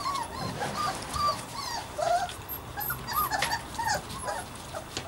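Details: Savannah and Jericho, two puppies playing, let out a steady run of thin, high whimpers and squeaky yips, some rising and falling, over a faint background hiss.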